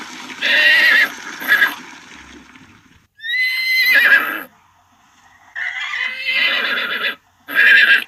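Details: A horse neighs in several separate bursts: a shaky, buzzy opening whinny, a clear high neigh with falling tone near the middle, then two more rough whinnies separated by short silences.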